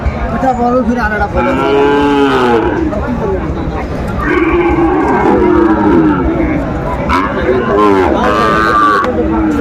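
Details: Sahiwal bull calves for sale at a Comilla cattle market, Bangladesh, 17 January 2025. Three long, harmonic bellowing moos rise and then fall, about three seconds apart, over a steady hum of market crowd voices.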